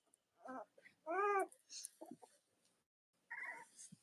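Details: Cavalier King Charles Spaniel puppies indoors with their nursing mothers, letting out short squeaky whimpers and one louder wavering cry, then a pause before a final brief yelp, with faint rustling and snuffling between calls.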